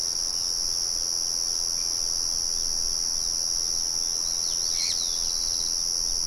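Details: Crickets in a natural setting with birds and the murmur of a mill in the background. They give a steady, high continuous trill with two even tones throughout, and a brief bird chirp near the end.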